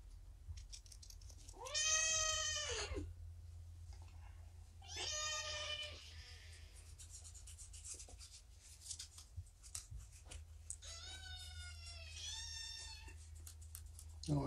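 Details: Abandoned kittens found in a roadside box, now at Purrfect Pals, during morning lap and snuggle time at roughly eight weeks old; three drawn-out, wavering meows rise and fall with quiet room hum between them.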